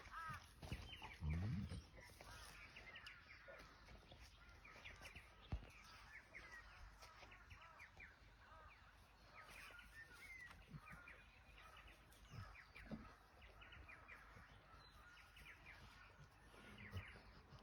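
Rottweiler puppies give a steady stream of high, thin whines and squeaky yelps that overlap one another.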